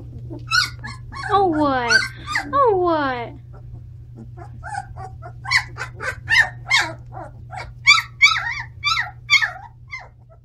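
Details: Seventeen-day-old Standard Poodle puppies in their bigger home: long, high descending whines at first, then a quick series of short, sharp, high-pitched yips and squeals, roughly three per second, over a faint low hum.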